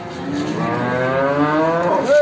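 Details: Simmental cattle for sale at Bekonang livestock market, Sukoharjo, Central Java, Indonesia; a single moo that begins soft and swells louder while rising in pitch, ending in a brief higher squeal.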